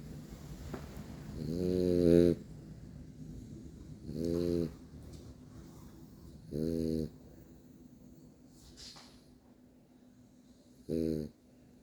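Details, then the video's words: A male French Bulldog snoring while asleep indoors: four deep, buzzy, rasping snores, each about half a second long, come roughly every two to four seconds over quiet room tone. "French bulldog snoring"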